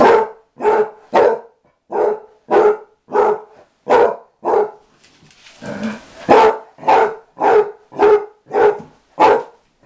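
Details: Mamie, a six- or seven-year-old dog being taught to come inside after living outdoors, gives repeated regular barks, briefly broken by a soft rustling pause midway before the barking resumes at the same pace.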